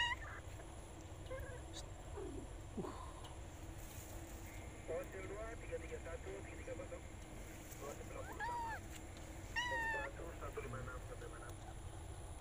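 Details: Jon, a male cat out looking for a female, gives wavering, rising-and-falling harmonic meows in the later seconds, a few calls in quick succession, over a steady low background hum with faint voices.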